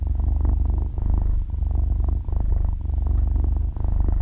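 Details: Sleeping six-month-old kitten, belly up and stretching its paws, purrs loudly and softly at once: a deep vibrating drone pulsing with its breathing, dipping briefly about every second, captured with close binaural microphones and no background music.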